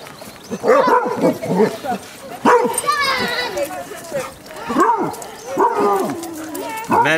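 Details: A pack of fifteen Basset Hounds on a four-mile walk to the sea at Otterton, South Devon. Loud, deep baying barks come in repeated bursts, several trailing into wavering howl-like tails, while a person calls encouragement.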